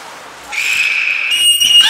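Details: Belugas Nico and Mirai in training at the Port of Nagoya Public Aquarium, 29 February 2020, giving a clear, piercing sustained whistle that holds level for about a second, then breaks into rising, wavering notes at the end.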